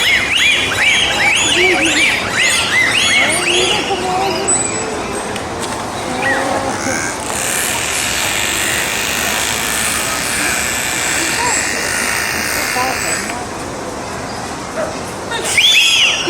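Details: At a summer dolphin show at SeaWorld Orlando on 25 August 2024, a bottlenose dolphin vocalizes from its blowhole: bright, looping whistles and squeaks in rapid rising-and-falling arcs, then audience and amplified noise take over, with a last short squeal.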